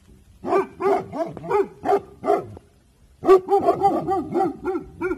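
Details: Bhotia dog, a guard breed, on alert guarding in the evening: a quick run of about seven sharp barks, a second of quiet, then a faster, denser burst of barking.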